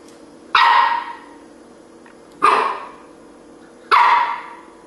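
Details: Keeshond named Sassy barking by the stairs: three loud, sharp single barks spaced about one and a half to two seconds apart, each with a quick onset and a fading tail, over quiet room background.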